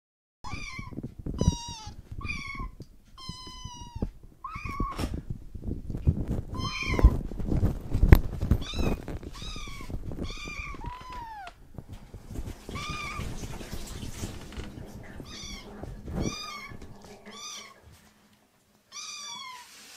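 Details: Rescued foster kittens mewing repeatedly indoors, high thin calls with bright harmonic stacks, arched or slightly falling, in quick bursts; heavy low thumping and rustling from handling in the middle, quieter later.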